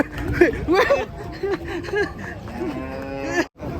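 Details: Cattle being unloaded from a truck give short rising moos, then a long, steady, low moo that holds for about a second, with men talking and calling out nearby.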